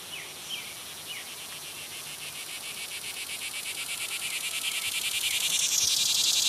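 A green annual cicada gives a shrill, high-pitched buzzing song of rapid regular pulses. The drone builds in volume throughout, with a few brief chirps of another insect or bird near the start.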